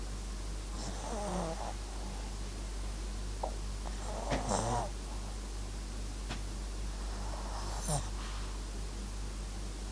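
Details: Sleeping Papillon–Japanese Chin dog Max gives soft, rasping snores roughly every three to four seconds, each a brief breathy rattle, against a quiet room with a constant low electrical hum.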